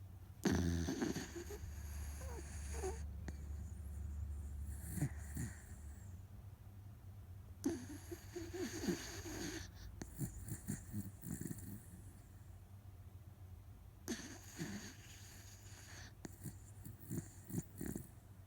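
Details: Otofu, a rescued Miniature Dachshund kept as a pet, fast asleep and snoring loudly, perhaps from tiredness; long rough wheezing snores with rattling pulses swell and fade in cycles roughly every seven seconds indoors.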